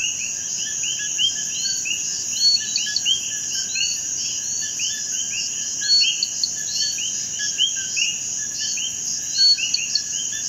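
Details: Common coquí, a small frog of Puerto Rico, where it lives in almost every moist habitat. A dense chorus of overlapping short two-part calls, each rising sharply in pitch, repeated constantly by many frogs over a steady high insect buzz.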